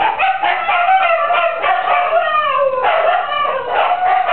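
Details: Several female Siberian huskies howling along with a neighbour's chickens: overlapping long wavering howls that slide up and down, with short yips mixed in and steady voices throughout.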